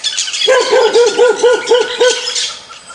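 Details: An angry dog barking, a steady run of seven sharp barks about a quarter second apart, over a background of high chirping birds.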